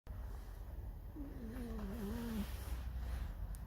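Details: Alisa the fox squeaks her mournful "song" while irritated: one wavering, drawn-out whine lasting about a second, rising and falling in pitch with a faint overtone, over a steady low hum.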